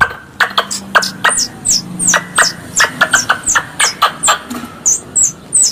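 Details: A squirrel gives a fast series of sharp, high chipping notes, about three a second; this squirrel sound recording is used as a lure call for squirrel hunting.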